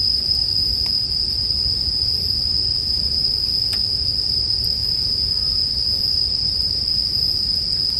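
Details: Constant shrill ringing from bell crickets fills the background, steady in pitch and volume, as an occasional sharp snap of burning wood from a campfire cuts through around the one- and four-second marks.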